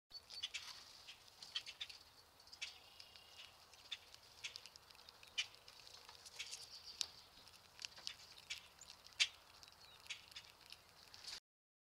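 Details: Squirrel at very close range, unshy and munching a peanut: crisp, irregular clicks and crunching ticks of gnawing scattered throughout, with a faint hiss behind and no calls.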